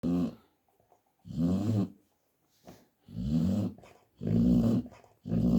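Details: An American Staffordshire Terrier mother dog sleeping indoors snores in low, rumbling bursts, each lasting about half a second to a second, with quiet gaps of irregular length between breaths.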